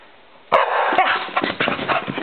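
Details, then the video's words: Poppy, a pet dog, barks at a light reflection on a wall. One abrupt bark is followed by continuous rustling and scrabbling noise, as if she is chasing the reflection. "Poppy - Barking At Light Reflecting On Wall"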